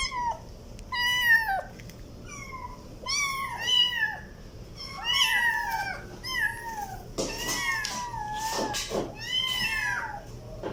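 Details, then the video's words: Kitten meows in quick irregular series, each a bright arched cry bending down at its close, with a few harsher, noisier bursts and clicks near the end against a faint background hum. "Funny Cat meowing sound effect compilation || kitten meowing"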